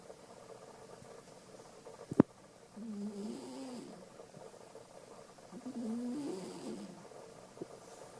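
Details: Alisa, a domestic cat, snoring fairly loudly in her sleep: two drawn-out, wavering low rasps a few seconds apart, preceded by a single sharp click.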